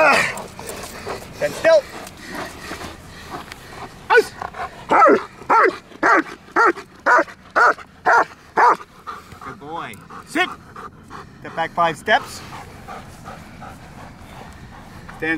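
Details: Trained German Shepherd at Kraftwerk K9 during a training session: a handler's talk and low noises at first, then a steady burst of about nine loud barks in quick succession, fading into softer calls and more voice commands.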